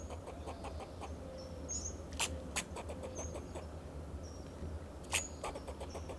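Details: Fox squirrel alarm calls from a Monterey pine in Del Monte Forest, California, guarding itself and its territory. A short run of soft ticking chucks, then a few loud sharp clicks, with brief high whistles and a steady low hum.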